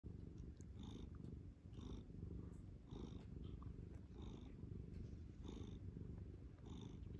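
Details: Domestic cat purring while kneading; a close, low rumbling purr in steady breathing cycles about once a second, each cycle marked by a faint higher rasp.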